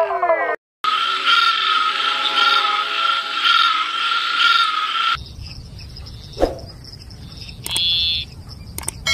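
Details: Frogs calling, described as crying sweetly. A dense, steady pulsed trill sits at a high pitch for about five seconds. It is followed by an abrupt cut to quieter background with a few brief clicks and knocks.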